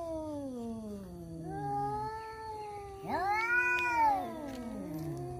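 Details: Two male domestic cats fighting over a female trade long, wavering yowls that slide up and down in pitch.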